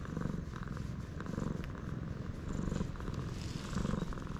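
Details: A stray cat purrs on a Japanese cat island, filmed with a GoPro HERO8. The deep rumble swells and fades in a rhythm of breathing, close to once a second.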